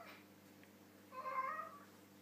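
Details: A pet cat named Harley talking over his dinner, mouth full of food; one brief muffled meow rising and falling in the middle, with faint household hum behind it.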